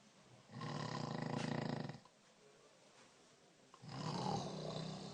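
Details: A dog snoring indoors: two long, harsh, rumbling inhalation snores of about a second and a half each, separated by a quieter pause, with a coarse buzzing texture.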